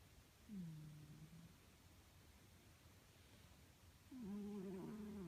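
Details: Pet cat snoring indoors: two low, tonal, humming breaths, the first dipping then level, the second longer with a slight wavering bend, separated by a quiet pause.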